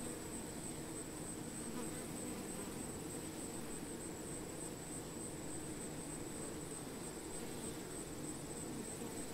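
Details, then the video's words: Many honey bees among plants buzz together in a steady, low droning hum that never pauses. "Honey Bee - Relaxing Sounds of Bees"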